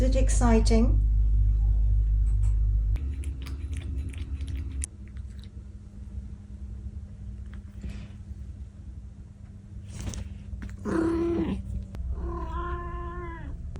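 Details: Old cat named Pudding, talking after a trip to the garden, gives several meows: a quick call at the start, a strained rising-falling meow midway, then a drawn-out final meow. A low indoor hum runs beneath.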